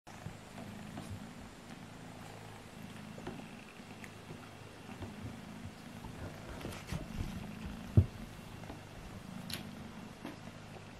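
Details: Two kittens, Alfonso and Amur, play-fighting indoors; a steady low, rumbling purr runs through the whole stretch, with faint rustles and one sharp knock near the end.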